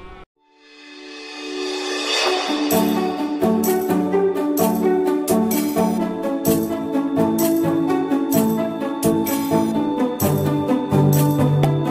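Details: Loud rhythmic festive music with percussion and bright, repeated melodic notes plays throughout, with no animal sound.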